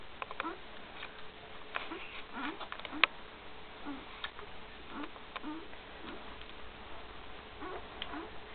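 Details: One-week-old Great Dane pups beside Gracie in 2012 give brief low squeaks and grunting chirps, spaced unevenly, with faint rustling and a constant hum.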